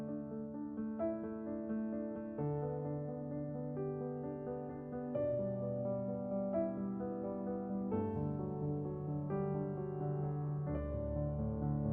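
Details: Only soft piano music is heard, with no animal sounds.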